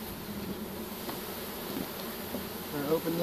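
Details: A bucket full of swarming honey bees after capture with a pole bucket, March 25, 2015; steady low buzz of many bees, with a brief knock near the end.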